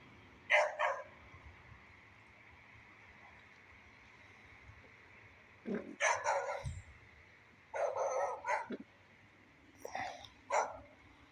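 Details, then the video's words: Beagle barking in the rain, recorded today: sharp, harsh barks in short clusters, a single one followed by a rapid run of three or four, over a steady hiss of rain. "beagle dog barking in the rain"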